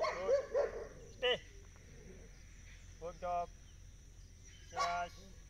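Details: Indian pariah dog named Country during obedience training outdoors, giving several short sharp barks in quick bursts near the start and again around the middle and end, between spoken commands.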